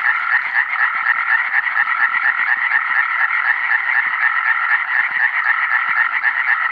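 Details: Close, loud calling of Iberian tree frogs (Hyla molleri), 2017: fast, regular nasal croaks about four per second, merging into a relentless rattling chorus.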